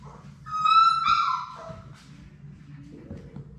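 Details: Labrador Retriever puppies at play in a play room, one of a litter of six; a high, drawn-out whining yelp with bright harmonics that slides downward, then a lower moan, over a steady low hum and faint scuffling.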